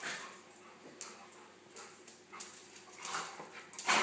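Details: Golden retriever Nelson and Pomeranian poodle Buster playing together, the smaller dog nipping at Nelson's ears; faint rustling breaks into brief whimpering yips that grow louder toward the end.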